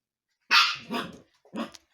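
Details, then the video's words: Husky puppy indoors, playfully provoking the cats: one loud, high, ringing bark that trails off, followed by a shorter yelp. "Щенок ХАСКИ."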